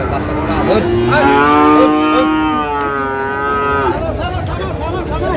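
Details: A single long, steady moo lasting about three seconds, from one of the Friesian and crossbred bull calves at Ambari haat, Dinajpur, 23 July 2025, with crowd talk and market bustle before and after.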